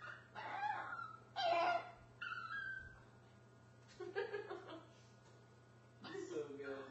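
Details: Puppy crying indoors, wanting to get under the counter and sink; short bursts of high, wavering whines and whimpers come in three spells with pauses between, over a steady low electrical hum.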